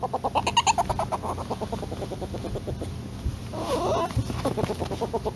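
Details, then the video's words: Polecat giving a rapid run of soft, clucking pulses, roughly three per second, that fade and slow before a brief burst of broader rustling noise near the end. "Real Polecat Sounds"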